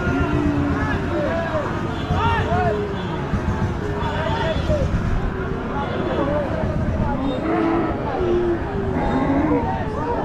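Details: Milking cows at a busy village cattle market low and moo repeatedly over steady background crowd chatter and murmuring.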